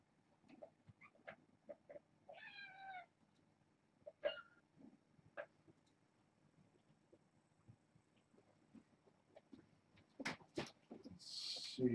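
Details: Six kittens born August 29th to a family pet, four females and two males including Marcus and Lennier, at bedtime indoors; a short harmonic meow near the middle amid scattered soft knocks and rustling, a louder rasp at the end.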